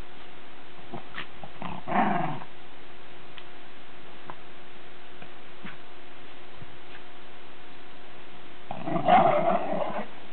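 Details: Lakeland Terriers at play in the snow give two short bouts of gruff, throaty growling, one near the start and one at the end, separated by a long quiet stretch with a low steady hum and a few soft clicks.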